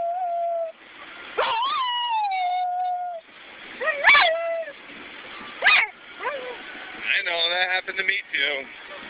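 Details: Ares, a pet dog riding in a car on the way to work, vocalizes back and forth in a 'conversation': drawn-out tonal whines that rise then slowly fall, several separate bouts, ending in a rapid wavering yodel over steady car hum.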